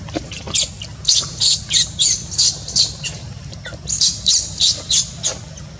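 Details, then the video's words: Newborn baby monkey Luno crying because mother Luna rejects him: shrill, high-pitched squeals repeated about three times per second in uneven bursts, with a steady low hum underneath. "Newborn baby monkey Luno crying cos mom - Mom Luna doesn't love newborn baby monkey Luno"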